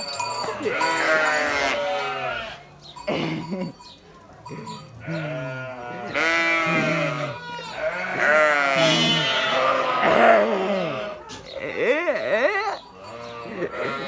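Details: Several sheep bleat in overlapping, wavering calls that follow one another almost continuously, some rising and falling, with a voice occasionally heard between them.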